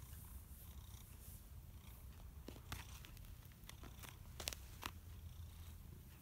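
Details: Simba, a one-year-old male brown-and-white cat, filmed 17 March 2017 in Erlanger, Kentucky, purring in a low, continuous, pulsing rumble, with scattered sharp clicks and taps over it.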